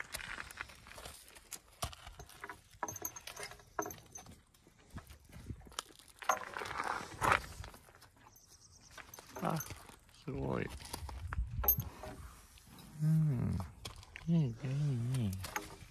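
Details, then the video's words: Kiso horse at Kiso Uma no Sato, Japan, on 25 May 2023, where a foal about ten days old stays with its mother; a wavering, quavering whinny rises and falls near the end, after footsteps, clip-clop and people talking. "木曽馬の里 生まれて10日くらいの仔馬"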